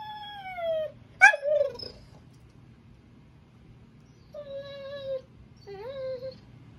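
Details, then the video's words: German Shorthaired Pointer whining because his owner has his tug toy: high, falling and wavering whines with clear harmonics, a sharp yelping burst near one second, then two steady whines after a pause; quiet indoor hum behind. "German Shorthaired Pointer whining again"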